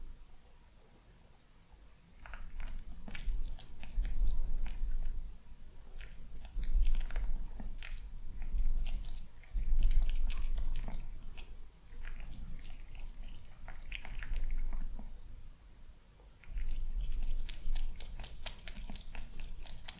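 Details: Handsome male kitten eating breakfast during a peaceful morning indoors, a little cautious while other cats chatter nearby; steady crunchy chewing and biting in bursts of several seconds separated by short pauses, in a small room.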